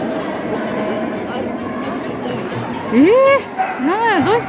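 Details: Border Collie at the JKC 2022 agility competition held indoors at Dragon Hat, Shiga, Japan, on 3 December: two loud, arched, yelping barks in quick succession near the end, over steady indoor crowd murmur and voices.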